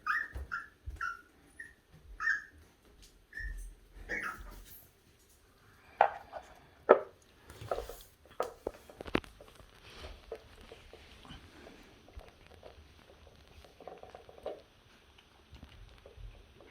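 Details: Eager for its meal, pet puppy Heukimja whines in short piercing bursts for the first few seconds. Clattering, a knocked-over bowl, scattered kibble and soft indoor noises follow.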